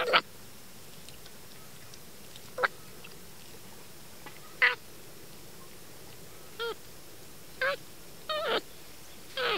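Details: A small monkey eating corn by a fence gives short, nasal, harsh calls, some wavering in pitch, spaced a second or two apart.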